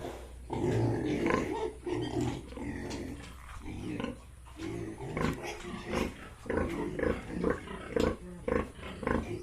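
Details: Grunting from farmed Yorkshire and Hampshire pigs in Bongaigaon, Assam: a long moaning phrase first, then quicker, choppier grunts repeated almost twice a second, with sharper clicks mixed in.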